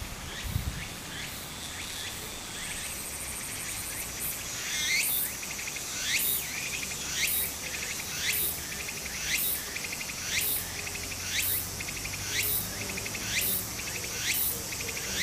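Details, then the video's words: Cicadas calling in Japanese summer beside a stream: rising, swishing buzzy sweeps repeat about once a second, interleaved with fast pulsed trills, over a faint steady background hiss. "小川の流れと蝉の声 自然音 ～夏～ Japan Sound of nature Cicada's voice"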